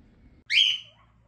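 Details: Guinea pigs wait for breakfast in the morning, and one gives a single high, whistled squeak that holds steady before fading, calling for food.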